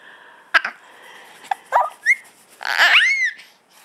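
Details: Max, a ticklish dog, makes happy noises while being tickled indoors: short breathy snorts, then squeaky whines sliding up and down in pitch, ending in a longer burst of high whimpers.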